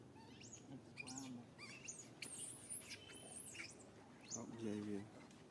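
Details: Shrill squeals and wavering whines from baby monkey SUCA, who cries out in pain after SUSAN grabs him. The calls come in short rising and falling bursts, with human voices underneath.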